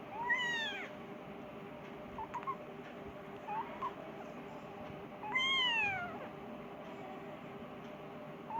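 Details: Persian kitten crying for its mother, wanting food; two clear arched meows at the start and near the middle, with a few faint short mews between, over a steady low hum.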